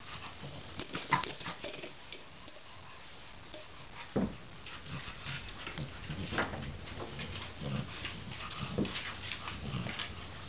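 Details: A French Bulldog shaking a rope toy indoors gives short snorting grunts and soft whimpers amid rustling and thumping.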